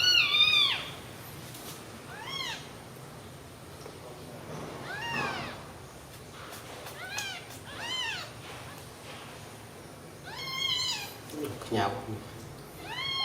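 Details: Thin, repeated rising-and-falling cries from newborn baby kittens huddled asleep together on milk, spaced irregularly across the stretch, with faint background hiss.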